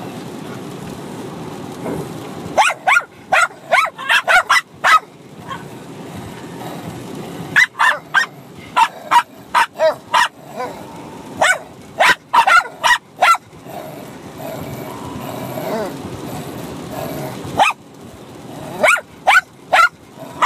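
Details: Two Bichon Frise dogs, a six-month-old puppy and an adult, bark at each other while fighting and playing; sharp high yappy barks come in rapid bursts separated by quieter pauses with low rustling.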